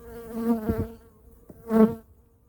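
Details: Honey bees at hive #2 during a winter colony inspection and feeding check: two loud swells of droning buzz with a steady low hum and stacked overtones, separated by a quieter gap with a few dull knocks from handling.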